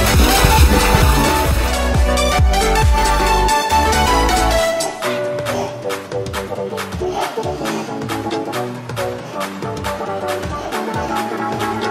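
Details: Electronic dance music with a steady driving beat and bass fills the whole recording, with brief speech underneath and no animal sound.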